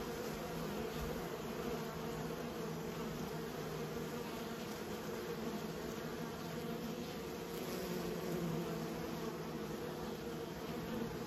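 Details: Continuous droning buzz of kept honey bees, a dense low hum that holds level throughout, countless wings blending into a single sustained tone with faint higher overtones, no other clear sounds.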